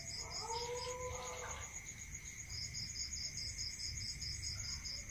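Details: Crickets at night in a rural area, giving a steady high trill with rows of short pulsed chirps above it. A lower, drawn-out animal call with a clear tone sounds through the first two seconds, with a constant background hum.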